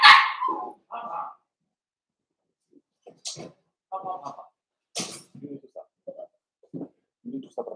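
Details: Indoors in their puppy pen, blenheim Cavalier King Charles Spaniel puppies from a New Year's litter of five give a loud opening yelp and scattered small yips, mixed with human voices and household noise.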